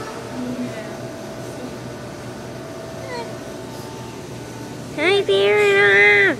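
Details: Captive seal at New England Aquarium whose screams once led police to think someone was drowning; after quiet background murmur, a sudden loud, harmonic, human-like wail starts near the fifth second and holds for over a second.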